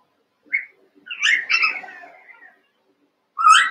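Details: Playing Cavalier King Charles Spaniel puppies, a litter of eight wrestling in their pen at about one month old: a sharp high yip, then a squealing, falling run of yelps over a second and a half, and another shrill yelp at the end.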